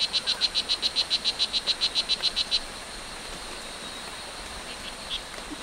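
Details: Wild O. pumilio, the strawberry dart frog, at Hitoy Cerere Biological Reserve, Costa Rica: a quick run of high buzzy chirps for about two and a half seconds, then it stops, leaving faint forest background.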